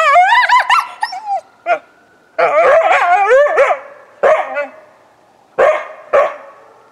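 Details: A coyote answering a passing ambulance siren, recorded February 20, 2018, with rapid wavering yips and howls in dense bursts, then shorter barking yips separated by brief silences while a faint siren tone lingers.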